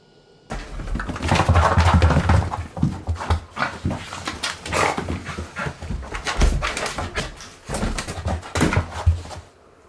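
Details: White Shiba Inu panting indoors while being blow-dried with a hair dryer: rapid, irregular, breathy huffs, several per second, with occasional louder bursts over a steady rushing background.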